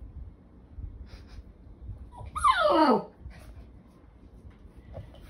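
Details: Puppy offered by a breeder, giving one brief high squealing whine that slides sharply downward, with quiet room noise before and after.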